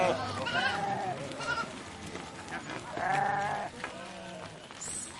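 Several sheep bleat in overlapping, wavering cries as a flock moves past.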